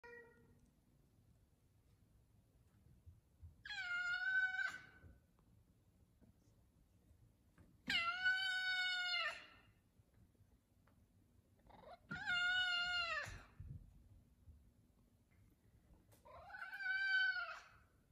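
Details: F2 Savannah cats meowing for chicken at feeding time indoors: four long, drawn-out, harmonic-rich meows, each rising then holding steady, spaced roughly four seconds apart against a quiet room.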